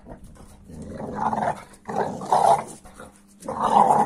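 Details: American Staffordshire Terrier growling at a 15-week-old Kuvasz puppy; three strong, moaning growl bursts about a second long each, separated by brief pauses, with a whining upper edge.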